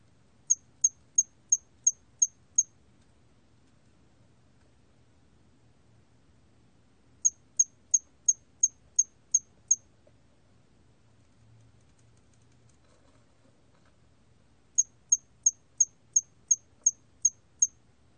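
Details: Hairy cricket, 2020 National Institute of Biological Resources recording: three bursts of six to seven high, crisp chirps each, about three per second, separated by silent gaps of four to five seconds, with quiet low background noise.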